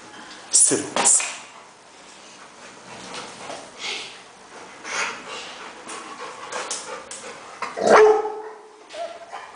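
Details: Rottweiler in Nigeria giving a few short, sharp barks near the start and again toward the end, mixed with a person's hushing and spoken commands throughout.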